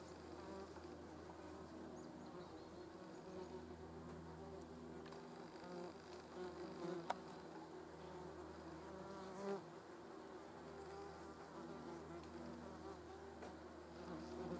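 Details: Hornet grooming itself with yellow jackets nearby: a steady low droning hum with layered harmonic bands, even throughout, broken by a couple of faint clicks near the middle.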